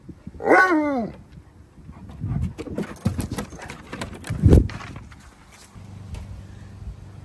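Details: Alaskan Malamute, one of two large dogs upset that their backyard pool has turned green and filled with leaves, gives a single arched, harmonic whining howl lasting about half a second, followed by rustling, thumps and handling noises.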